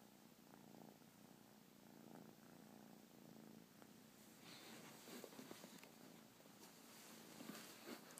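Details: Newly adopted pet domestic cat purring while relaxing indoors with its owner: a steady low rumbling purr with rhythmic pulses throughout, some soft rustling and handling noises in the second half.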